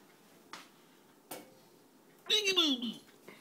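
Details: Pet cat Ariibella, indoors in a small room, talking to a moth: one loud, drawn-out meow that slides steadily downward in pitch, preceded by two faint soft taps, with low room hum in the background.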